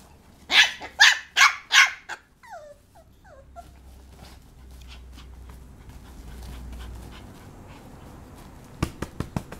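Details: Papillon puppy Taro lets out four rapid high yaps, then a few short falling whimpers, a long quiet stretch with low background hum, and faint clicking taps at the close.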